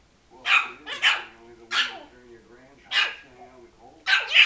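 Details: Frankie, a Yorkshire Terrier, barks angrily at a ball that was rolled toward him and hit him; five sharp, high barks come in uneven bursts over about four seconds, with a person's encouraging voice faintly between them.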